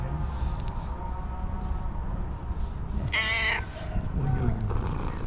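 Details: A female tailless tuxedo cat greets her person with a loud meow once she spots her. A single bright, harmonic-rich meow rises and holds briefly, with low room rumble and soft voices around it.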